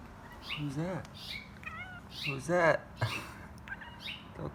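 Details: Five-month-old kitten chattering back to a neighbourhood bird, thought to be a red finch, that it talks with daily from sunrise; short rising-and-falling chirpy meows and trills, several in quick succession, with a person speaking and bird chirps.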